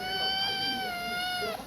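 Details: Kitten lying on a person's chest, sucking a finger and crying; one sustained, steady, high meow held for about one and a half seconds, dropping slightly at the end.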